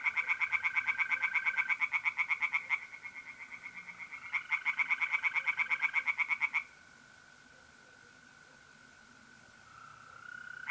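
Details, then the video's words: Pond tree frogs at night in mid-April, north-east Italy: two bursts of fast rhythmic croaking, about three pulses a second, then a quiet stretch where only the continuous high trilling of mole crickets carries on. "relaxing singing tree frogs in pond and trilling mole crickets by night"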